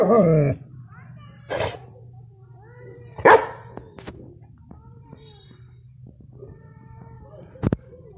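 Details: A 6-month-old male German Shepherd puppy gives a few loud, deep, harsh barks spaced several seconds apart over a low hum, showing protective instincts.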